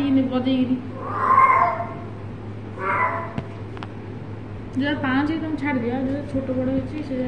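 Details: Pet cat playing with its owner indoors: short wavering meows, including a rising-falling call near the end, mixed with a woman's voice and background music.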